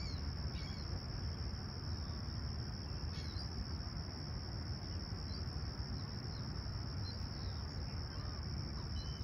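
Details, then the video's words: Crickets chirping on a clear, calm summer sunrise at Humber Bay Shores, Toronto, 28 July 2020, around 20ºC: an unbroken, high, steady trill runs throughout, with a few faint bird chirps and a low background rumble. "Serene Summer Toronto Morning With Chirping Crickets"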